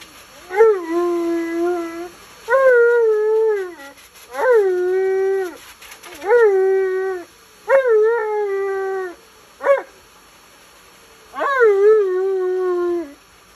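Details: Alaskan Malamute male complaining during a bath he hates, yelling in a series of about seven drawn-out, wavering howl-moans, each one to one and a half seconds long with short pauses between, sounding almost like spoken words.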